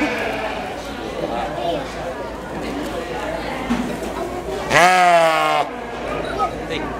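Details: A sheep at the 2011 Washington County fair in New York gives one loud, wavering bleat, calling for its mother, over people talking.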